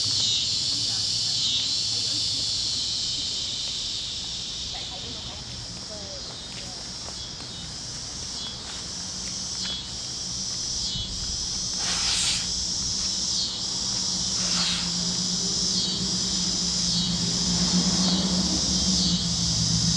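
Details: Cicadas chirping at a Kansas sunset on the great plains, their high buzz pulsing in regular waves about four times a second and swelling toward the end, over a low steady hum.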